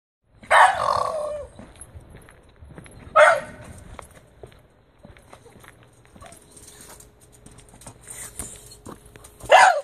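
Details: Plump Shiba Inu after being left home alone, giving three short, sharp yipping barks spaced several seconds apart, near 0.5, 3 and 10 seconds, with quiet indoor background between them.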